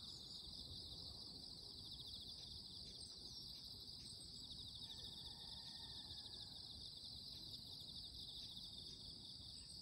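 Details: A loud, steady morning insect chorus buzzes high and unbroken, with a faint whistled bird note in the background.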